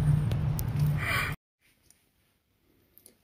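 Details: A brief breathy rush of low rumbling noise cuts off abruptly into near silence with only faint rustles, and no animal call is heard.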